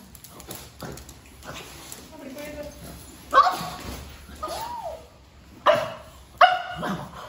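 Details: Female pug puppy Paapa barking from fear of a peacock feather: a few sharp, bright yaps near the end, widely spaced, mixed with a person's Tamil speech and soft indoor sounds.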